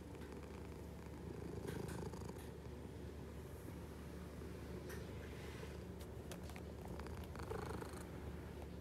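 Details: A hungry house cat purrs steadily throughout, a deep, even vibrating drone with a few faint clicks and rustles over it.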